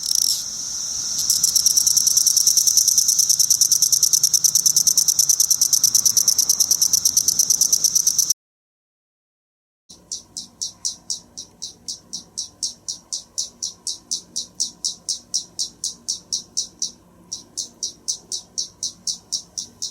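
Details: Periodical cicadas of Brood X singing during an emergence: a dense, continuous high buzzing chorus, then after a short silence a series of sharp pulsed buzzes repeated about three times a second.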